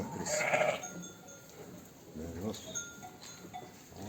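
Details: During lambing, with a newborn lamb being licked dry by its ewe, a sheep gives one loud, wavering bleat, then a few softer, shorter bleats.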